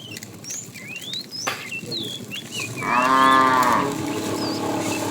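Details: Tame cow roaming a road looking for food gives a single harmonic moo of about one second, with many bird chirps and whistles around it.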